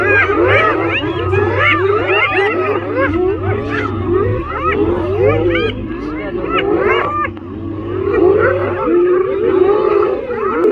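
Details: Spotted hyenas, about thirty, mobbing a lone male lion beside safari jeeps in the Masai Mara, Kenya, on June 14; many overlapping rising and falling whoops and squeals, a low engine idling underneath and people's voices mixed in.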